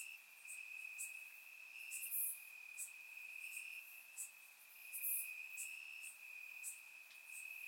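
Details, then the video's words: Warm summer night in Bulgaria, crickets chirping in the grass, captured by a surround microphone: one continuous shrill trill holds steady while louder, piercing chirps break through about every few seconds. "Cricket Sounds - Crickets Chirping at Night"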